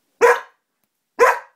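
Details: Tess, a 3-year-old female Border Collie who loves to bark, gives two short, sharp barks about a second apart while barking along to the song How much is that doggy in the window.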